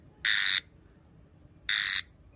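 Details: Two short, loud, harsh buzzes from a brown cicada, each lasting about a third of a second and separated by over a second of quiet.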